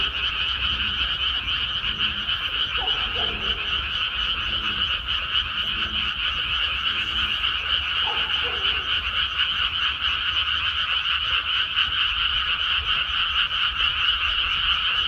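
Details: Frogs calling from rice paddies after the rice has been planted, a dense continuous chorus of rapid overlapping croaks. Bright trilling bands hold steady throughout, with faint lower calls scattered beneath.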